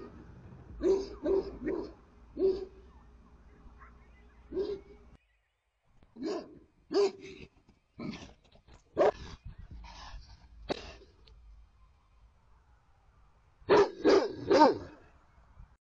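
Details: Livestock guardian dogs Judge and Bo bark at coyotes in front of the barn. They give deep, harsh barks, singly and in quick bursts of two to four, with a pause of several seconds midway and a final rapid cluster.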